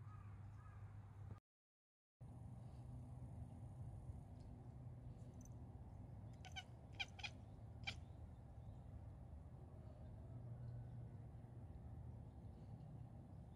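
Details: Domestic cat chattering softly at birds outside that it cannot reach, a quiet 'nyanyanya' voice; a short cluster of sharp, clicky chatter bursts falls in the middle, over a steady low hum.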